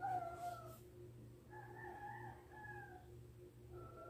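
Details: Pet cat giving a series of drawn-out, wavering meows, one long call at the start then several slurred rising and falling cries, against a constant low electrical hum.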